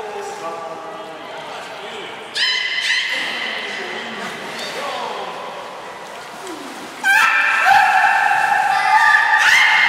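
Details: Belugas Nana and Niko in training at Port of Nagoya Public Aquarium, 7 October 2018: nasal harmonic squeals, a low wavering opening, then louder level tones and a long bright final call, in an echoing hall.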